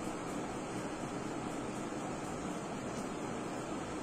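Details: Broad hissing wind or surf-like noise runs steadily throughout, without any audible animal.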